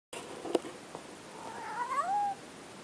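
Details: A domestic cat, called crazy, on a messy floor gives one drawn-out meow that rises, then slowly falls away over about a second. Two brief taps or knocks come just before it, against a quiet indoor background.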